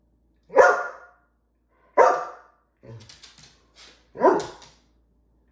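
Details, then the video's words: Greyhound barking indoors because it wants its dinner: three loud, sharp barks about every two seconds, with softer short vocal sounds between them. "Greyhounds Do Bark. Loudly."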